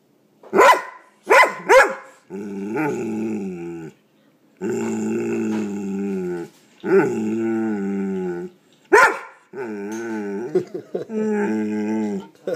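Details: Pet dog reacting to an air pump it hates, making odd noises: three sharp bark-like yelps, then long droning, wavering growl-howls in several drawn-out bursts, closing with another yelp and a final wobbly growl.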